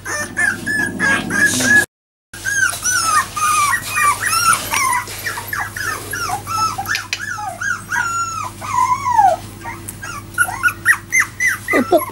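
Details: Jack Russell Terrier puppies, four weeks old, that have just started walking, whimper and yip in many short high whining calls that bend downward, overlapping through most of the clip, while a man talks to them nearby.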